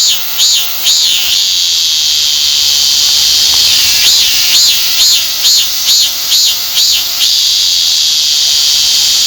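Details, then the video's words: Korean cicada, one of the commonest cicadas in Korea: a shrill, high buzzing song broken into repeated arched pulses, a few at the start and a run of about eight in the middle, between stretches of steady droning. "우리나라에서 가장 흔히 볼 수 있는 매미 중의 하나인 참매미의 울음소리"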